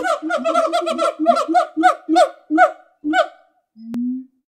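A gibbon gives a rapid series of hooting notes that slow and grow louder toward the end.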